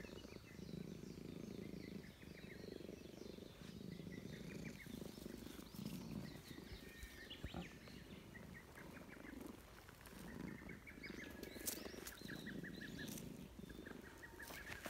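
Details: Park-dwelling stray Russian Blue cat purring as it is stroked, happy to meet again; steady low throaty rumble in swelling phrases, overlaid by frequent bird twitters and occasional clicks and rustling.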